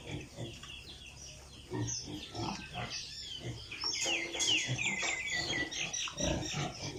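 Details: Piglets on an Italian pig farm give low grunts early on, then a run of high, wavering squeals from about four seconds, many animals overlapping in a busy barn.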